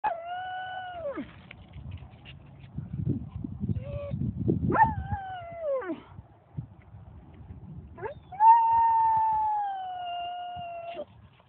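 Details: A dog howling, recorded in December 2014: long, steady, tonal howls that drop sharply at their ends. A short howl follows soft panting sounds, and the last howl is held for about three seconds.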